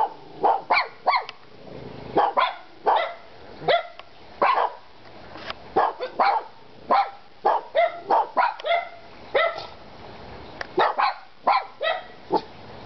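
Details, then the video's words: Kona, Koko and Konnor, three dogs, bark almost nonstop, with a rapid run of sharp overlapping barks roughly every half second throughout and only brief gaps. "Kona,Koko and Konnor barking"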